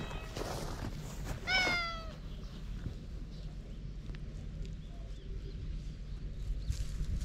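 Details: Stray cat on a cat island, approaching before starting a fight, filmed on a GoPro: a brief meow, then a loud, drawn-out falling meow of about half a second, followed by quiet outdoor background noise.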